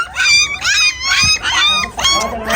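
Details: Gull Terr (Pakistani Bull Terrier) puppies, shown by their owner while being fed milk, give high, wavering whining whimpers in repeated short bursts, several overlapping, with brief pauses between them.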